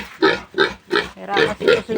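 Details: A newly caught piglet from a new sow's litter being weaned squeals in five harsh, evenly spaced bursts, roughly three per second.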